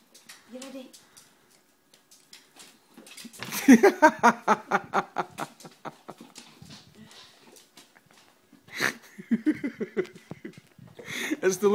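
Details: Rhodesian Ridgebacks playing indoors with dog bubbles make a run of rough, pulsed growling grunts that rise sharply, then fade into softer repeated huffs, returning briefly near the end, with people talking and laughing over them.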